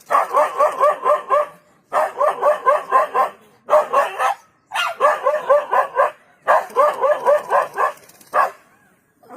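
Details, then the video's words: Dog barking in rapid bursts of about six to eight barks, each bout lasting around one and a half seconds, with short pauses between bouts; no other sounds stand out. "What's helped the dog is not bravery but his noise."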